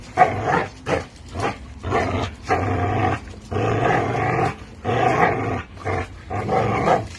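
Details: An American Bully and a Pitbull play tug with a Tugmutt toy, producing deep rumbling growls in repeated bursts of about a second, alternating with brief quieter gaps.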